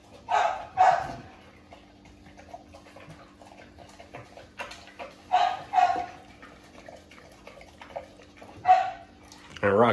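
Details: XL American Bully dogs at a first meeting between a father and his pups on his birthday; short harsh barks come in pairs and singly, spaced several seconds apart, with a person talking in between.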